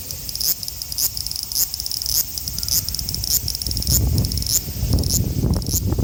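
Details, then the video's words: Male large brown cicada (Graptopsaltria nigrofuscata) in Osaka City, Japan, 5 August 2019, Xperia XZ1 phone recording; a sizzling high drone with regular brief accents, and louder low rumbling noise in the second half. "油蝉 large brown cicada"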